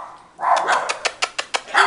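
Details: Bulldog named Dalila giving a loud opening bark, then a quick run of five or six short, sharp bark-like pulses, then a final louder bark; a small indoor room.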